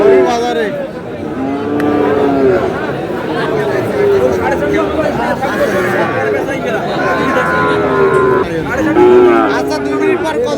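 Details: Sahiwal cattle at a cattle market where a Cumilla farmer is buying Sahiwal bull calves, 21 February 2026; several drawn-out, low, wavering moos over ten seconds, with steady crowd chatter and men's voices throughout.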